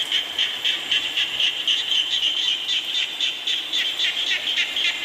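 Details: Rain-soaked frog chorus: crowded, fairly regular pulsed calls at a high steady pitch, about four bursts each second, with rain hissing underneath.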